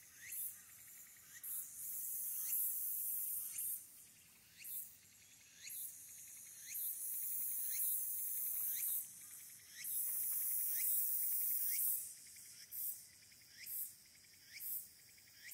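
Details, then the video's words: Walker's cicada sings in high, shrill pulses with short rising notes repeated about once a second, recorded by smartphone from an observation deck on Mount Aburayama, Fukuoka, Japan, on 22 August 2022. "ツクツクボウシ ～ 福岡市油山"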